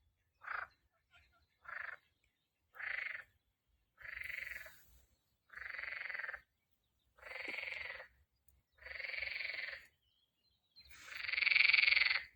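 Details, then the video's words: A frog calling in spring gives a series of eight raspy, nasal croaks, each about half a second long, spaced roughly every one and a half seconds, the final croak loudest, against an otherwise quiet background. "Так кричит лягушка!"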